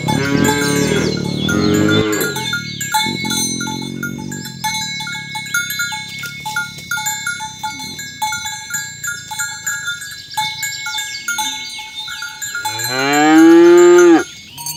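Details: Cows mooing while herded in the morning toward their pen on village roads, calling others to gather; a deep moo opens, then a long stretch of clinking cowbells, and a loud, rising-then-falling moo near the end.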